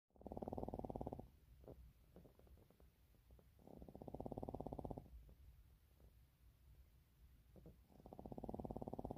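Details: Sleeping puppies making a rhythmic, rattling snore-like purr in bursts about a second long that recur every three to four seconds, with fainter breathing between.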